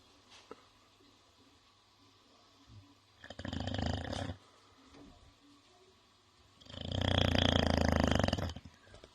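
An English Bulldog snores in loud, rattling, throaty bursts separated by quiet pauses.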